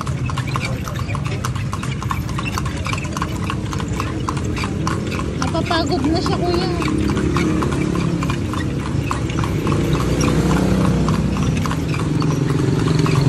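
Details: Touring Vigan, Philippines on horseback: rapid rhythmic hoof clops throughout, with people talking over them and a steady low rumble beneath.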